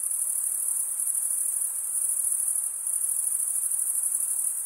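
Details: Crickets chirping nonstop in a steady, high-pitched shimmering trill, with many overlapping callers forming an unbroken wall of sound and no other clear noises.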